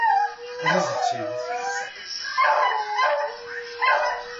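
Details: A beagle howls in long, wavering, mid-pitched notes, joining in with other beagles howling on a video he heard.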